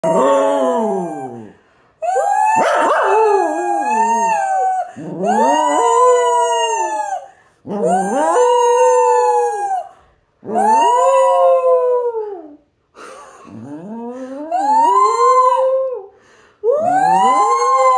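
A Fox Terrier howls in long, tuneful wails that swoop up and then slide down, with short pauses between.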